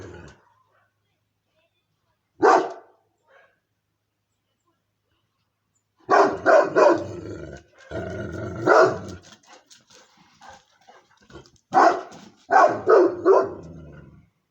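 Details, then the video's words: Moscow Watchdog guard dog barking repeatedly: a single bark, a pause, then bursts of two to three rapid loud barks mixed with quieter huffs and rumbling, irregularly spaced over several seconds. "Московская сторожевая собака. Лай собаки."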